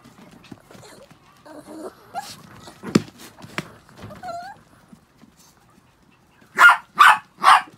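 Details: Six pet Chihuahuas after a shampoo: soft whining and scattered small sounds, then three sharp, high barks in quick succession near the end.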